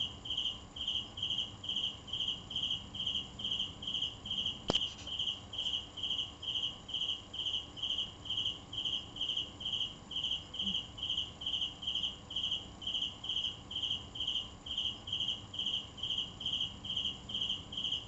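A cricket chirps steadily, short high pulses repeating a little over twice a second.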